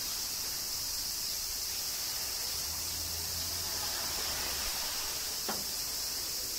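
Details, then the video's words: Summer cicada chorus during rain in Kyoto, Japan, heard as an unbroken bright shimmering hiss, with a faint low hum in the middle and a single sharp click near the end. "Cicadas Summer Rain - Zen Sounds of Kyoto, Japan"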